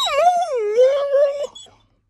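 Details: A 10-month-old female Alaskan Malamute gives a drawn-out, moaning howl that dips and rises, her way of asking to be taken for a walk.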